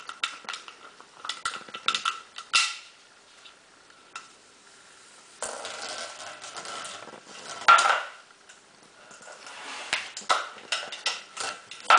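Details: Plastic bottle being rattled, knocked and scraped in short irregular bursts of clattering noise, with quiet pauses between; no animal voice is heard.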